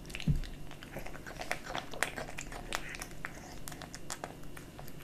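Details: Pet kitten chewing dry and wet cat food in a small room. Muffled, softer crunches and lapping chews repeat unevenly through a short stretch, with a low thump at the beginning.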